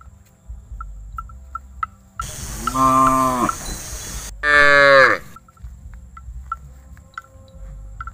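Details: A very cute, tame calf, unafraid of people, gives two drawn-out moos. The first is steady and the second is higher and more strained. Steady background hum and faint regular ticking are heard.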